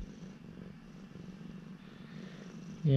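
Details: Urara, an affectionate former rescue cat, purring during a chat with her owner: a steady low rumble pulsing in quick even beats, ending with a sudden louder sound.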